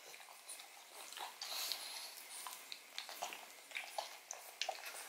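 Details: Odin the pug gnawing a bone filled with marrow indoors in a small room: irregular wet clicks, crunches and licking smacks, sharp ticks scattered through, quiet background.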